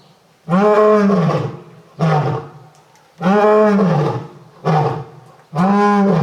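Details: Lion at Tokushima Zoo, Japan, giving loud, deep, resonant calls with a cat-like quality: five drawn-out moaning roars of under a second each, rising then falling, spaced roughly one to two seconds apart in a quiet setting.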